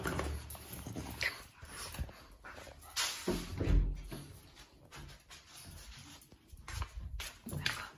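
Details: A pair of Boston Terriers squabbling for no reason: deep throaty growling and rough tussling noises, with a loud broadband burst near the fourth second and quieter grumbles between bouts.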